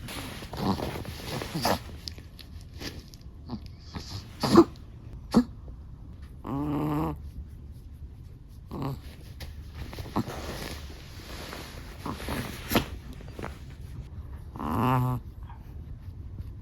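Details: Sleeping black-and-tan Chihuahua snoring: two drawn-out, buzzy harmonic breaths around seven and fifteen seconds, with scattered soft clicks and rustles between them over a quiet, low background hum.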